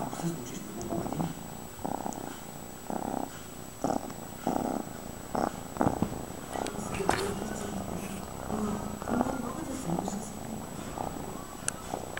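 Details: Fred, a pet cat, purring: a low rumbling purr in rhythmic pulses about every half second to second, rising and falling with each breath, with occasional soft clicks and light handling rustles indoors.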